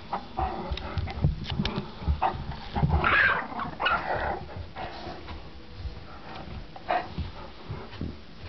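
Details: Yorkie named Gretel battling Clyde, a Great Dane, for control of a Nylabone; low rumbling growls and a few sharp whines sound through constant scuffling, thuds and movement noise in a room.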